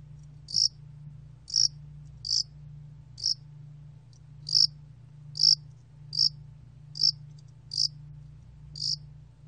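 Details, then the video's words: A Korean Yasan spotted cricket recorded in 2020 sings a series of short, bright, buzzy chirps, around ten in nine seconds at irregular intervals, with a faint steady low drone beneath. "야산알락귀뚜라미, 여러번 듣기, 곤충소리"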